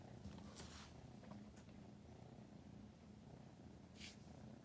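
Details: Four-month-old female British Shorthair kitten, filmed November 2019, rolling belly-up while eagerly chasing an LED pointer for the first time: a soft, steady, low rumbling purr throughout, with a few faint rustles and clicks.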